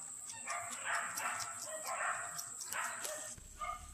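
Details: A litter of puppies, bi black, making overlapping whimpering and squealing cries in repeated bursts, with a steady high electronic whine running through the background.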